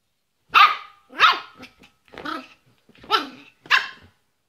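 A Yorkshire Terrier gives a string of sharp, high barks, roughly one every half second.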